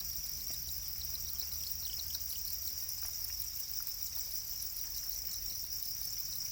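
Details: Black crickets, a domesticated kind also called para crickets, chirping as a steady high-pitched pulsing trill throughout, with a low hum underneath.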